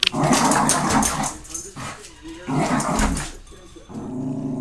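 Sharp, rough barks from a Cairn Terrier come in quick volleys with brief pauses between them, warning off passers-by from its territory. A person's voice is heard calling to the dog.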